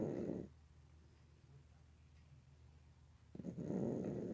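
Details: Indoor pet cat snoring hard, two loud, coarse, low breathy rasps at the start and end, separated by about three seconds of quiet room hum.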